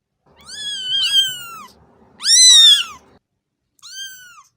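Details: Three meows from a cat: two long, loud, slightly wavering calls close together, then a shorter, softer one after a pause, over a faint low background hum.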